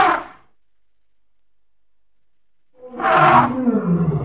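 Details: [['Baby elephant at play, giving two harsh, roaring hoots: a short one at the start, then a longer, louder blast after almost three seconds of silence.']]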